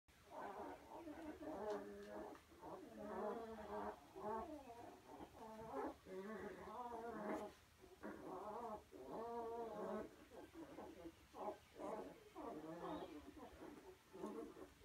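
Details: Goldendoodle. A Goldendoodle puppy chirps and whimpers almost nonstop, each note a short, bending, squeaky cry. The calls come in quick bursts with brief pauses, sometimes sliding up and down in pitch.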